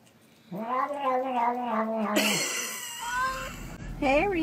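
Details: A domestic cat gives a long, drawn-out yowling meow, steady and slightly wavering, followed by shorter rising mews; a person talks over it and a burst of noise cuts in midway.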